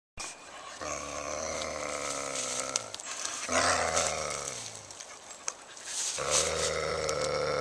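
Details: Coyote being possessive over a roadkill deer, recorded April 11, 2014; long, low droning growls lasting several seconds each, pitch sagging slightly at their ends, over a steady broad hiss.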